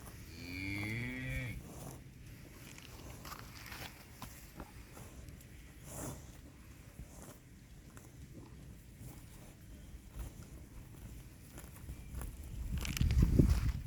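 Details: Cattle at a dairy farm selling HF (Holstein-Friesian) and Jersey cows in Tamil Nadu: a short harmonic moo in the first second and a half, then low rumbling and handling noise with a louder thump near the end.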